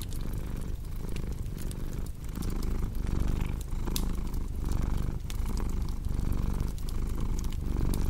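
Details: Domestic cat purring steadily, a low rumbling drone that swells and fades in rhythmic cycles roughly every 0.7 seconds, with the sharp pops and snaps of a crackling fireplace scattered throughout.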